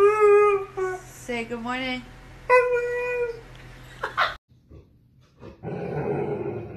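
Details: Siberian Husky vocalizing indoors in long wavering howl-like cries that rise and fall in pitch, followed by a brief gap and a burst of noisy rustling.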